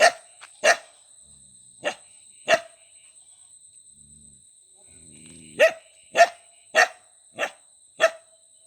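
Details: Dog barking in a run of about ten sharp, loud barks, with a pause in the middle where a faint low murmur is heard. The barks then resume in a quick, steady series over a constant high-pitched hum.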